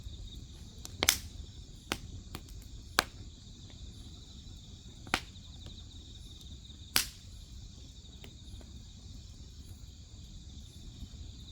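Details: A dense, unbroken high-pitched trill from grass insects fills the background while firewood snaps loudly every second or two, some pops sharp and bright, over a faint low hum.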